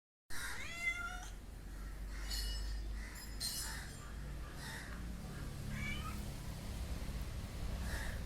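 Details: Pet cat making funny sounds: a series of short, wavering meows and chirps with rising and falling tones, about six calls spread over eight seconds, over a steady low hum.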